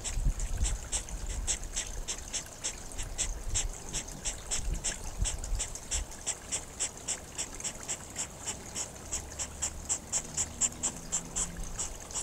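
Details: Hedgehog courtship, recorded beside a babbling pond: rapid, rhythmic breathy snorts repeated about three times per second throughout, steady and hissing, over low trickling water that is heavier in the first half.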